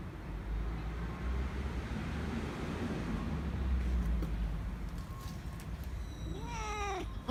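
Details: Nacho, a Korean shorthair cat, begs for more treats after an earlier churu when the owner returns from work. Several seconds of steady low hum, then one bright upward-sweeping meow with rich harmonics near the end.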